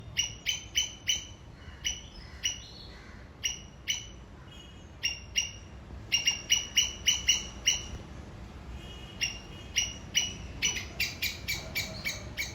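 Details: A Sri Lankan squirrel gives sharp, high chirps in quick bursts as an alarm signal aimed at an enemy.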